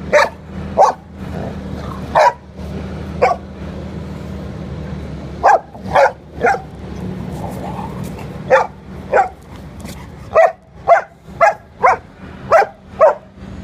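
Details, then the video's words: Six-month-old female Leonberger puppy playing with an eight-year-old female Boxer that has mothered her since she was one month old: short sharp barks in irregular bursts, several quick ones near the end, over a steady low hum. "Leonberger vs Boxer"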